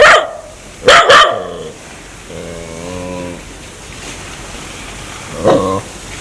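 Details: Dog acting aggressively and wanting to bite people gives a quick double bark, then a steady low growl lasting about a second, followed by one more short bark.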